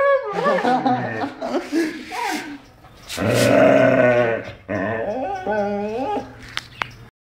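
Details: Pet dog growling playfully, called cute: drawn-out, wavering moan-like vocal bursts that bend up and down in pitch, with a long loud stretch in the middle and a few sharp clicks near the end.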